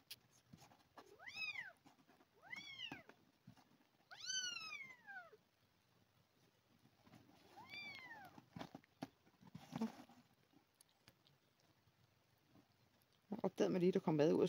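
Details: Abandoned kitten during a milk-replacement feeding: four loud, sliding meows in the first half, then quieter rustling and a burst of handling noise at the end.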